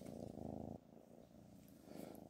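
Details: A pet cat named Black Panther purrs during a Nastaliq calligraphy session, a steady low rhythmic rumble that is loud for the first moment and then softer.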